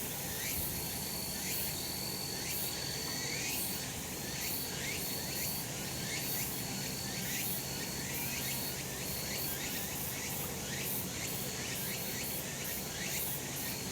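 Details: Cicadas calling on a summer mountain in a sunny spot: a dense, steady high buzzing wall with pulsing phrases repeating about once a second and a thin sustained whine above, with no other clear sounds.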